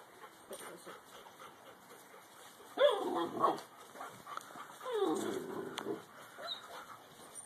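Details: Little Alaskan Malamute puppy standing up to his father, giving two soft, drawn-out vocal sweeps that rise and then fall, the second longer and lower, over quiet background hum.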